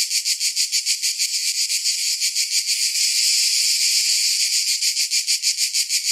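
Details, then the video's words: Summer cicada chorus of harsh, high buzzing pulses repeated several times a second. The pulses smooth into a near-continuous whine midway, then turn choppy and throbbing again. "Summer Cicadas Sound"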